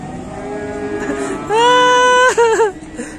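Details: A fierce cow in a shed bellows a loud, sustained, rich moo that breaks off abruptly into a short wobbling grunt, after laughter and quiet background music.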